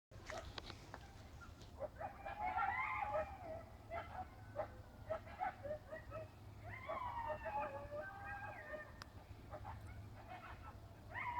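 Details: Coyotes in a field give a ragged chorus of high, wavering yips and quavering howls over a low background rumble.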